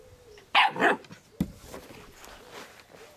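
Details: Scottish Terrier puppy playing happily in a garden gives two quick, sharp barks back to back, followed by a short dull knock and quieter garden noise with faint high chirps in the background.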